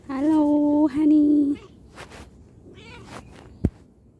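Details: Domestic cat giving a loud, drawn-out meow in two steady connected parts over about a second and a half, followed by quieter rustling, faint voice-like sounds and a sharp click.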